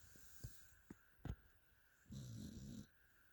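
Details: Pet dog snoring in its sleep: a few soft clicks and breaths, then one short, rasping, buzzy snore lasting under a second.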